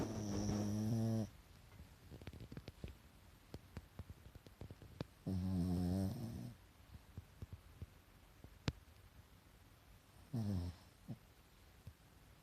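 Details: A pet Pekingese dozing with whitened eyes snores three times, low rasping buzzes about every five seconds, the last one shorter, separated by soft breathing and small ticking sounds in a quiet room.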